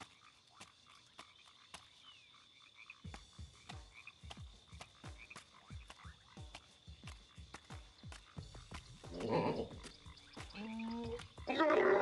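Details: Frog calling with a run of short, low, knocking croaks repeated about twice a second, then louder tonal sounds and mixed noise toward the end.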